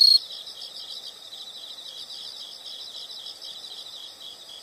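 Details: Insects for a soothing nature backdrop: a brief loud shrill note at the very start gives way to a soft, steady, rapidly pulsing high-pitched chorus that runs evenly to the end.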